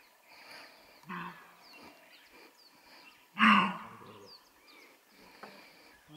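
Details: Nilgai (blue bull) in Panna Tiger Reserve, India, gives harsh, coughing alarm calls warning of danger, a weaker one then a loud one, over background birdsong.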